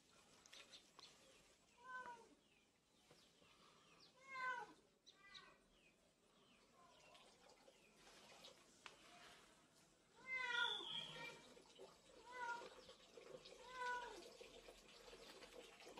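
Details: Texel guinea pig, curly from head to toe, repeats bright arched squeals every two to three seconds, some in quick doubled bursts, over low rustling.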